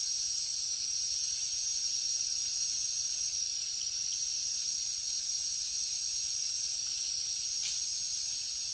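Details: Jungle crickets at night: an insistent high trilling drone with clusters of sharper, higher chirps pulsing irregularly above it, constant in level.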